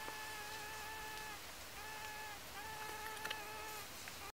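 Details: A female Anthophora bimaculata forages for pollen on Dittrichia viscosa blossoms at Tancat de l'Illa, Sueca, in autumn 2017. Her shrill, even drone starts and stops in short spells against steady background hiss.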